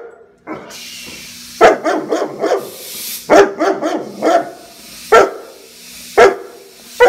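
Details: Rescue German Shepherd Kelpie mix barking at a pressure cooker while broth is made: bursts of rapid harsh barks in clusters, then single sharp barks about once a second, with a steady hiss and hum behind.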